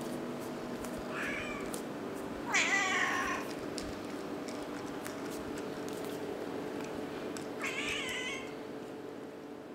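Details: Kittens nursing from their mother; three short, high meows about three seconds apart, each rising then falling, over a steady low hum indoors.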